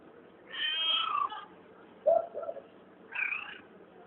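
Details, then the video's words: A cat that was found making weird noises: three harmonic, wavering meow-like cries, the first long and drawn out, then a short lower chirp, then another rising-falling cry, each about half a second to a second long. "Cat making weird noises"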